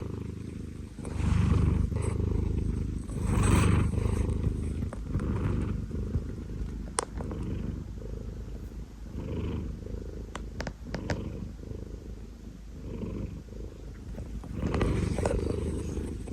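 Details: A 19-year-old cat snoring: a low, rough rumble that swells into louder breaths roughly every two seconds, then fades between them, with a few faint clicks.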